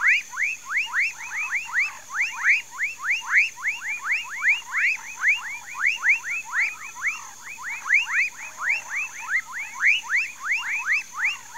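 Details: A dense frog chorus of rapid, rising chirps overlapping continuously, with a steady high insect hum, in a Mauritia flexuosa palm swamp near Pedro Gomes, Mato Grosso do Sul, Brazil.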